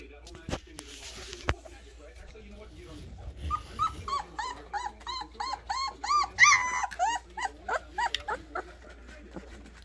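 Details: Alaskan Malamute puppies playing indoors: a rapid series of high, whining whimpers, each a short arched cry with bright overtones, tumbling out several per second for about four seconds, with a woman's voice and handling noises around them.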